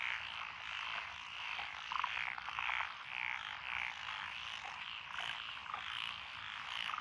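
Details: Lotus rice paddies in Echizen, Fukui Prefecture, Japan, on 12 June 2021, filled with croaking from tree frogs, pond frogs, wrinkled frogs and Schlegel's and forest green tree frogs. A layered, buzzing chorus is broken by short, higher chirping notes every half second or so.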